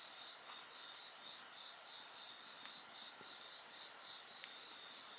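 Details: Several insects call together in a dense, unbroken, high-pitched ringing with a rapidly pulsed trill layered underneath, while a campfire gives a few loud crackles and soft snaps.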